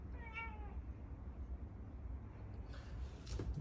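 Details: After finishing its meal, a cat asks for more food with one short, falling meow, followed by quiet room noise.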